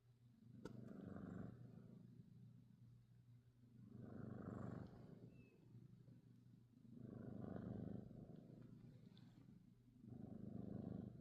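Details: Norwegian Forest Cat, a pet, purring and snoring on 22 December 2025; low rumbling breaths swell and fade in four slow cycles roughly three seconds apart over a steady faint low hum.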